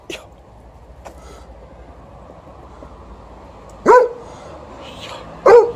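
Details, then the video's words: Wanting to play fetch, an aging Golden Retriever named TJ, 12, gives two loud clipped barks about a second and a half apart, late in the clip, during ball time after the morning walk; an Alaskan Malamute, Liza, is also present. "12-yo Golden Retriever also wants to play fetch and he lets me know"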